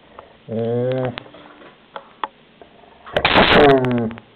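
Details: Shelby, a German Shepherd, guarding her toy: two drawn-out, grumbling growls with a harmonic, moaning tone, the first about half a second long and the second rougher and louder, separated by quiet with a few faint clicks in an indoor room.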